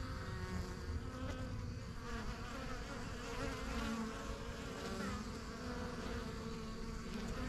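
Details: Honey bees swarming busily around a yellow backyard hive, the strongest of a few first hives set up in spring 2023; a continuous low-pitched droning buzz, with fluttering higher tones as individual bees pass close.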